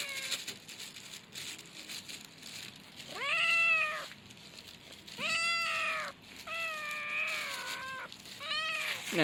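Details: Drawn-out meows from a young male cat, several long harmonic calls of about a second each, arching up and sliding down, with a hissy noise background.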